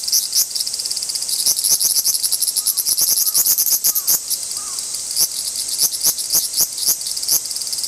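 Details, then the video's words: Large brown cicadas, thought to be in a territorial dispute, produce a strong high-pitched sizzling drone broken into uneven rapid pulses, with faint lower chirps in the background. "アブラゼミの諍い（Dispute of large-brown-cicada ）"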